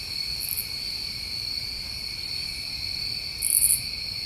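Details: A steady shrill trill from New England summertime crickets after dark, with a short high chirp early on and a louder, buzzier chirp burst near the end.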